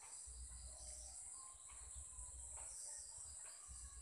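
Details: Insects chirping at 7 pm in Sri Lanka: a steady, shrill, unbroken high-pitched chorus in several stacked bands, with a constant low rumble beneath and a few faint, brief sweeping calls.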